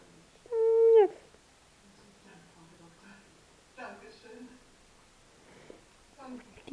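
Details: Plushie, a 10-week-old kitten born outside as a wild cat and brought indoors to warm up on cold days, gives one drawn-out meow, held steady then dropping at the end, followed by soft Czech speech.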